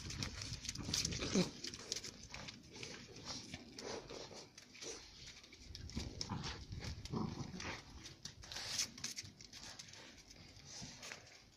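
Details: Two female Central Asian shepherd puppies, Giranda and Gardarika, bred from flock dogs brought out of Tajikistan, fight to settle their relations. Rough, noisy growls and snarls come in irregular bursts with scuffling throughout.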